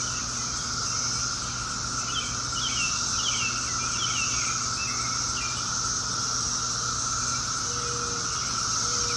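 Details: Brood X periodical cicadas, the 17-year cicadas emerging in 2021 for the first time in 17 years, in Chantilly, Fairfax, Virginia, near suburban Washington, D.C.: a steady, unbroken droning chorus with a high hiss layered above, while birds chirp over it.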